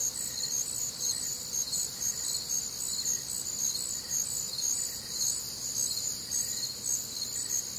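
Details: Humid Midwestern summer night alive with crickets: high, piercing chirps pulse continuously in a dense chorus, joined by a softer lower pulsed call recurring about once a second.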